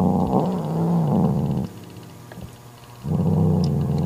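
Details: Angry mother cat defending her newborn kitten from her jealous sister, growling to banish her. Two long, low rumbling growls with uneven pitch are separated by a quiet pause of about a second and a half.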